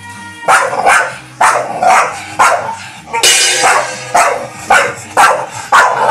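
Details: A black Staffordshire Bull Terrier barks in harsh, rough bursts, about eight over six seconds at uneven spacing, with faint steady tonal background hum.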